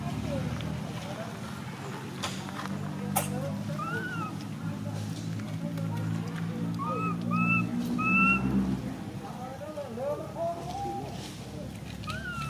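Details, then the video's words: Baby monkey MoMo, a tiny female, cries as she falls down: short tonal wails, rising then falling, repeat irregularly through the middle, over a constant low hum and background voices. "Tiny baby monkey MoMo falls down while she crying."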